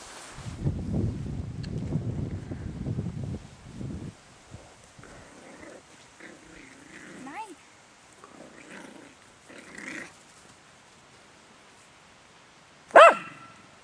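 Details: Parson Russell Terrier puppies at Kennel Danscan, summer 2011. Low human talk opens, then several thin rising whines and squeaks follow. A single sharp, loud yelp comes near the end.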